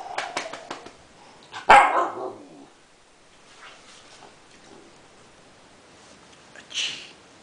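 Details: Siberian Husky puppy letting out a quick run of small yips, then one loud raspy bark that trails off, followed by a softer muffled bark near the end.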